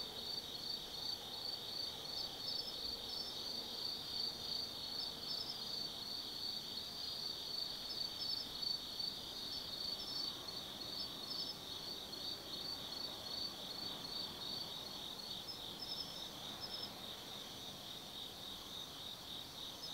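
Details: Autumn insects singing at night in Tsukimi no Mori forest, Nanno-cho, Kaizu, Gifu Prefecture, Japan, near a lookout over the Nobi Plain; a dense steady high trilling chorus with overlapping chirps above it, faint low rumble beneath.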